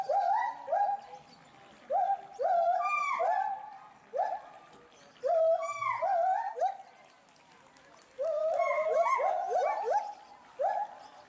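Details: Two agile gibbons, a resident male and female at a Bristol, UK zoo, agitated by something unseen in bulrushes; loud upward-sweeping hoots in runs of three or four, alternating with higher wavering cries, pauses of about a second.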